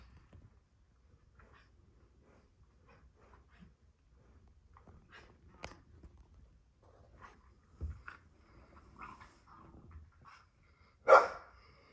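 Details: Female dogs at play together: quiet scattered grunts and short soft yips building toward the end, then one loud, sharp, bark-like burst, with faint scuffling between calls.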